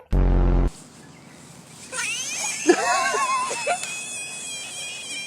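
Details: A male pet frog, described as angry, gives a loud, harsh buzzing burst, then a few wailing, arched squeals.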